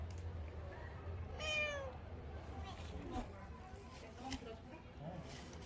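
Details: A single bright, drawn-out meow from Rolls, a Korean shorthair city cat in Gongneung-dong's Gyeongchun Line Forest Trail during autumn, then quiet talking and faint traffic hum.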